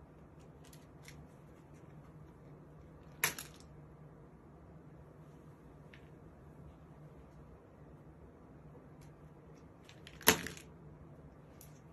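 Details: Quiet indoor room with a steady low hum and two sharp clicks, about three seconds and ten seconds in, plus a few faint ticks.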